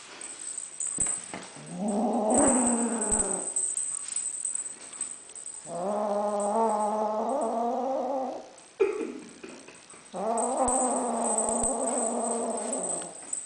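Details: Lilac Ocicat kitten growling while being possessive with a toy, sounding like a puppy; three long, harmonic rumbling growls of two to three seconds each, separated by brief pauses, with a faint high electronic whine in the background.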